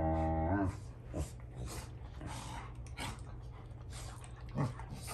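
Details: Rottweilers in a household squabble, older dogs correcting young Junior over a toy; a brief whining, harmonic growl opens, then low rumbling and scattered thumps under steady low hum.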